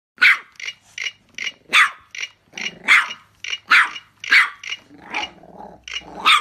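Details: A female Boston Terrier, apparently during play, gives a rapid run of short, sharp, raspy barks, several each second, with low growling rumbles between some barks.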